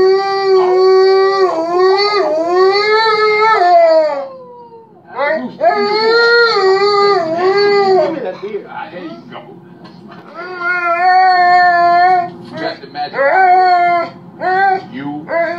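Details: Alaskan Malamute howls in response to hearing Denzel Washington howl in the film Training Day, long, wavering, rich-toned phrases that rise and fall with yodel-like bends.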